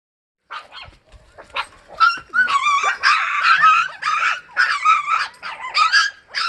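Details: Sapsali named Suri with her puppies, moved to a foster home after giving birth at the Gimje shelter. Dense, overlapping high-pitched yips and sharp barks come in quick irregular bursts, rising into a busy chorus after the first two seconds.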